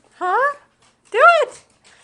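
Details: A hungry female dog wanting her dinner gives two arched, whining cries, each rising and then falling, separated by a short silence indoors.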